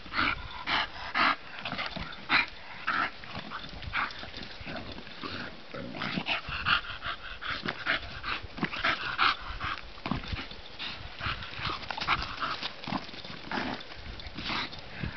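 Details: Playful bulldog Bonita in sunlight making a long series of growly grunts, snorts and brief whimpers, clustered most densely between six and ten seconds.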